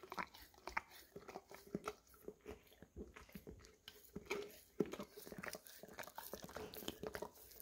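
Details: Golden Retriever, English cream, lapping peanut butter from an almost empty jar, recorded on a Samsung Galaxy S10e; sticky smacking and clicking laps in uneven bursts, a few sharper taps among them.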